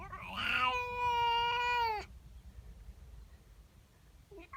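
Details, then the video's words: Female house cat calling in the morning, unhappy about a neighbour's cat in her garden: a long, steady, harmonic yowl lasting over a second after a brief rising onset, then quiet room noise. "Cat doesn't like the neighbour cat. FUNNY WEIRD CAT NOISES!!"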